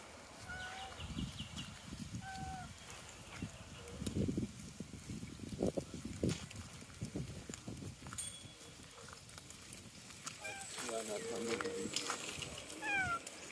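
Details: Cats walking in a tropical park give several short meows, each a brief harmonic cry that rises and falls, spread over the recording amid soft footsteps, rustling and low background rumble.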